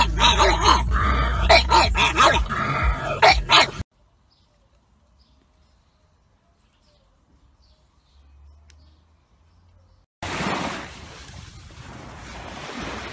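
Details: Pug barking in a quick burst of sharp, harmonic-rich barks lasting about four seconds. Near silence follows, then a rush of broadband noise.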